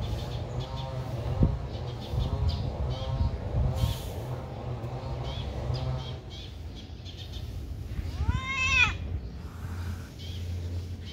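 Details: Friendly kitten in a pagoda giving a clear, high, rising-then-falling meow near the end, after softer, lower mewing earlier, over a steady low engine-like hum and background noise.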